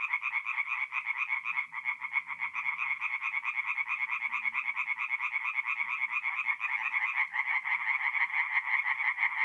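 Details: Night chorus of tree frogs at a forest pond in north-east Italy, mid-April: fast, repeated nasal croaks from several frogs blending into a pulsing wall of sound, with a faint low murmur beneath.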